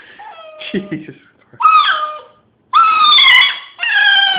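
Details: Hiro the dog howling indoors in a small room: wavering, harmonic tones that rise and sag, broken into separate bursts, with a long loud drawn-out howl near the end and a possible human voice early on.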